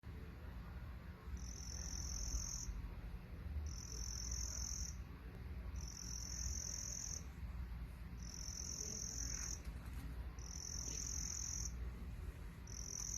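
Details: Crickets calling: high, thin trilled bursts, each lasting about a second and repeated roughly every two seconds in a steady rhythm, over a constant low rumble.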